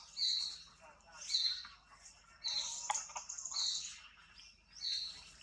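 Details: Newborn baby monkey Anissa, with her sister Alba nearby, gives thin high-pitched squeals of about half a second each, repeated roughly once a second with brief gaps, over a faint low background hum.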